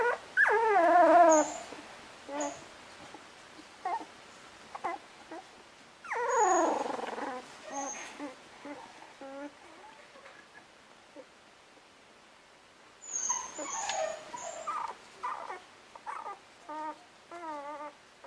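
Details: English Cocker Spaniel pups just over two weeks old in the nest; bursts of high, wavering whines and squeals in three bouts, separated by quieter stretches of soft whimpers.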